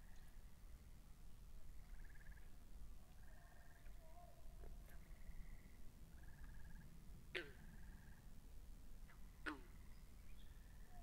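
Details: Frogs by a pond in a binaural recording: short buzzy pulsed trills at a mid-high pitch recur every second or two, with a few sharp downward-sweeping chirps and a steady low rumble beneath.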